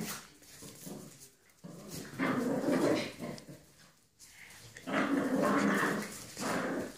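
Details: Wild boars give rough, throaty grunts and growls in several drawn-out bursts.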